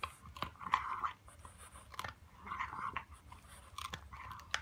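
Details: A French Bulldog puppy chews a pig trotter treat noisily, with wet crunches and sharp clicks of teeth.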